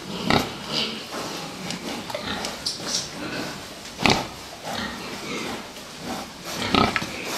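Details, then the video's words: Fattening pigs in a pen give short grunts and squeals scattered irregularly, with one louder burst near the middle and clattering, knocking noises around them. "prasata výkrm"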